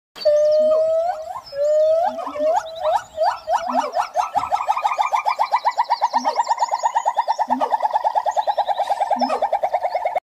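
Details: Siamang (Symphalangus syndactylus), call.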